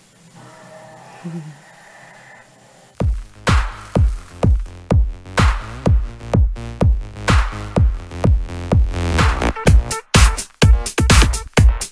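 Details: Electronic dance music with a steady thumping beat, after about three seconds of quiet background sound.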